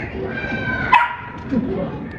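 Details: Dog (Canis familiaris), bark: barking on command during training.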